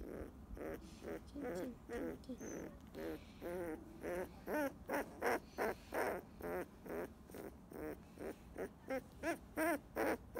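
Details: Fifteen-day-old field-line Labrador Retriever puppy, petted while basking in the sun, drifting off to sleep: a steady series of short, wavering, hoot-like squeaks, over two per second, rising and falling in strength, with faint background rustle.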